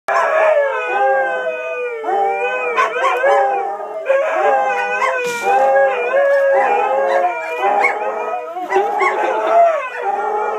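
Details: Several pet dogs howling in reaction to sirens carried on the wind, a chorus of overlapping wavering howls that rise and fall continuously, with a few short yips mixed in.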